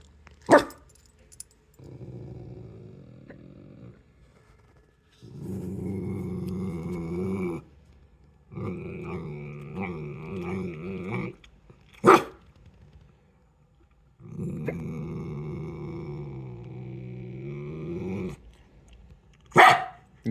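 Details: Dog making several long, rumbling growls lasting two to three seconds each, with short sharp bark-like bursts between them; bursts recur irregularly and the background is otherwise quiet.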